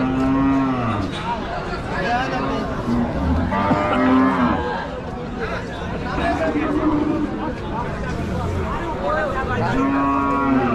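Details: Cows being unloaded at a village farm, several low drawn-out moos with clear harmonics repeating every few seconds over a dense background of crowd chatter and noise.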